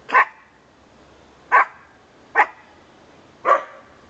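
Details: Four clipped, punchy barks from Conga, a household dog, come at uneven gaps of roughly one second in a quiet room.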